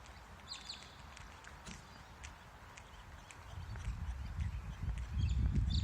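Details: Kangaroo, probably courting, giving quiet low clucks that grow louder and denser over the last two seconds, with faint high bird chirps scattered through.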